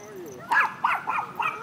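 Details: Welsh corgis at a dog park, the 3-month-old puppy Toffee playing with a protective 3-year-old adult corgi. Four sharp, high yipping barks come in quick succession over about one second. A faint human voice sits underneath.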